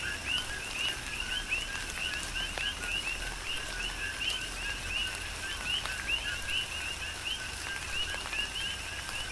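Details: Coqui frogs serenading in tropical rain on Hawaii's Big Island, a constant stream of short rising whistled chirps paired with lower notes, many frogs overlapping, with rain falling steadily.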